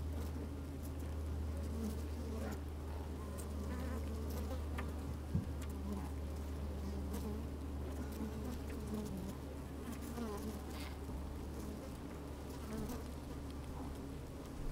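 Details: Honey bees busy at work inside an open hive on a fine sunny day, microphone slid down into the hive: a dense low hum with steady droning tones, scattered clicks and rustles of bees moving, occasional buzzing.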